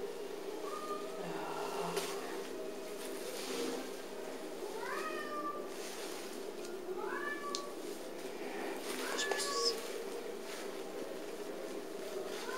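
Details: Nuage, a playful, elegant little male cat at the North London Cats Protection shelter, gives a series of short, arching, tonal meows spaced a few seconds apart. Soft indoor room hum and faint human speech sit behind them.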